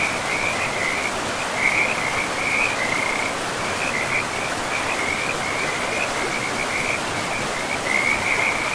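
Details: Frogs by a river deep in a pristine forest give a steady run of quick rattling trills, pulses repeating several times a second, laid over broad rushing water noise.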